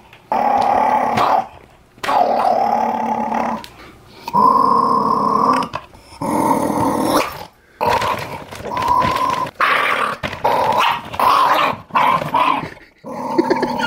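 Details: Indoor Jack Russell Terrier growls while guarding the monthly dog food bag, a string of harsh, sustained snarls lasting one to two seconds each, with brief gaps and a few sharper higher-pitched outbursts.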